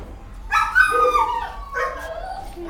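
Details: Young puppies in a kennel with their mother give high, wavering whimpering yips, two short bursts about a second apart, sliding down in pitch, over a low background rumble.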